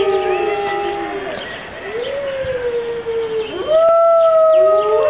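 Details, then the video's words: Siberian wolves, five together at Berlin Zoo on a rainy morning, giving long even howls; one voice falls away, then a sharp upward swoop launches a higher sustained note joined by a lower howl. "The Five-Wolf-Symphony"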